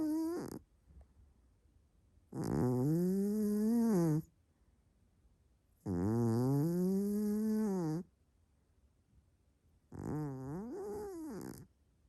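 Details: Large Maine Coon cat snoring hard while asleep: loud, rasping, humming breaths about two seconds long, each with a breathy hiss, repeating roughly every four seconds with quiet gaps between them.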